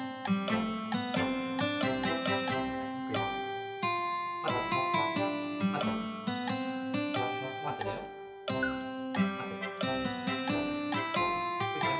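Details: Strummed acoustic guitar music with a person talking over it indoors; no animal sounds are heard.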